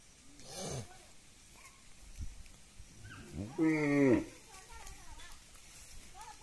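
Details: Cow at a village house, mooing while eating; a single short harmonic moo, bending slightly downward and lasting about half a second, stands out against quieter rustling and scattered background sounds.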